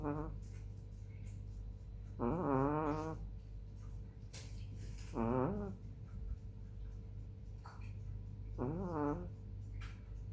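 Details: Hani, a black female chihuahua, snoring while asleep on 18 July 2021 at 21:07: three whistly, nasal, harmonic snores about every three seconds, each lasting under a second, over a steady low electrical hum.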